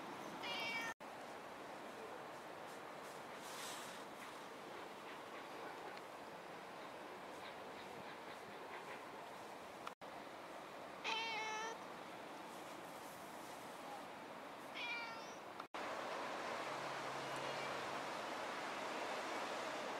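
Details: Riverbank stray cats, 29–30 November 2016, with yellow ginkgo leaves falling: a kitten that adores the cat Hacchan. Three high, harmonic, wavering meows sound near the start, at about eleven seconds and at fifteen seconds over a steady wind-like outdoor hiss.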